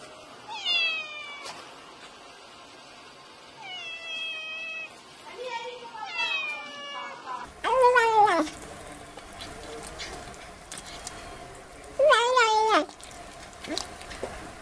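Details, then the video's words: Domestic cat meowing 'meo meo', a sound used to chase away mice: a series of varied meows, some short and rising, others drawn out and wavering, with several quick calls early and louder, harsher meows later. "MÈO KÊU MEO MEO Chỉ là mèo kêu meo meo Tiếng mèo kêu đuổi chuột"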